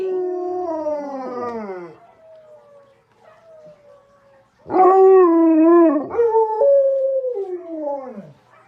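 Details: Alaskan Malamute howling indoors in a house with three of the breed: sliding, falling howls, a quiet pause with soft low wavering notes, then a loud burst of wavering howls that bend downward and fade.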